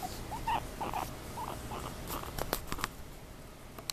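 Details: Two guinea pigs just after a bath, making quick wavering squeaks in a rapid run, then sharp clicks and taps from movement and rustling.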